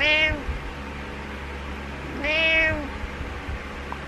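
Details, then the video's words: Butters the pet cat meowing in the morning indoors: a meow cut off at the start, then one full, rich, arching meow at about two and a half seconds over soft background hum. "Cat Meows And Puts His Dirty Butt On My Pillow"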